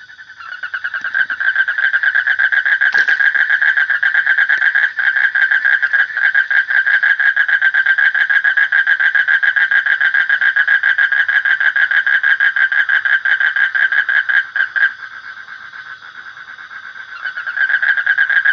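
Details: Long unbroken run of rapid, pulsed, rattling frog calls at a steady mid pitch, easing off briefly toward the end before rising again, over a faint constant high-pitched whine.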